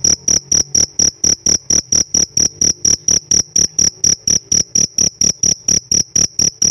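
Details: Sharp, shrill pulsed chirping from a cricket kept as a pet, bursts repeating about twice a second in a regular beat over a quiet low hum.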